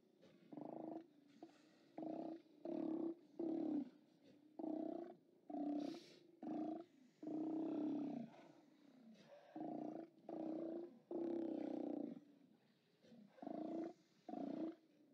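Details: Steller sea lions at a haulout, 29 October 2017: many short, harsh, low roars in quick bursts of about half a second to one second, overlapping and uneven, from a chorus of animals.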